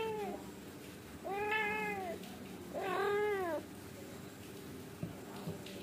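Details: Angora mother cat scolding her kittens indoors so they settle to sleep and stop misbehaving: two drawn-out, wavering meows about a second each, rising then falling, separated by a short pause, over a quiet room hum.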